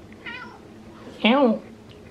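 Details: Female domestic cat begging for tuna fish: a short, soft harmonic call, then a louder, clear meow that rises and falls briefly, with faint room noise.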